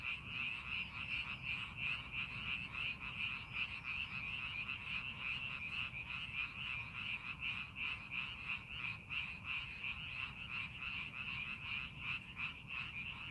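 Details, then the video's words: Chorus of frogs in a paddy field readied for farming, scenic setting; many callers give fast, regular croaking pulses near three a second, blending into a continuous rattling drone over faint low hum. "논에서 개구리 울음소리"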